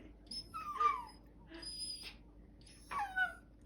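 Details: Pet Bichon Frise "talking" in soft, high, squeaky whines, three short peeping bursts spaced about a second apart, the last bending downward, heard in a quiet room.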